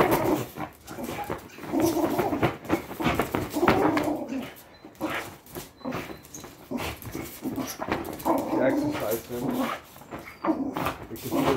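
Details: Patterdale Terrier growling during tug of war training: rough, throaty rumbles rise and fall in bursts of one to two seconds, with brief gaps, clattering handling noises, and some human voice in the background.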